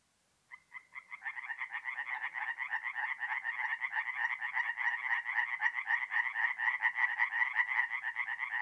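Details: Tree frogs at a forest pond by night in April, north-east Italy: after brief silence, a few croaks build into a dense, fast rattling chorus of many overlapping callers that grows louder.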